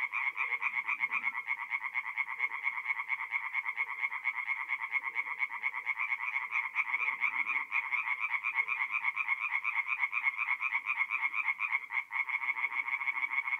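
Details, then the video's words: Mid-April night at a North-East Italian forest pond, where many tree frogs sing together: quick grating pulses repeat around twice a second in an unbroken chorus, with soft lower sounds now and then and a brief dip near the end. "relaxing forest pond by night with singing tree frogs"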